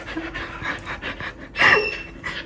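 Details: Border Collie Xika, a household pet dog, panting in short airy bursts, then a louder, sharper breathy puff partway through before the soft huffing resumes; low hum underneath.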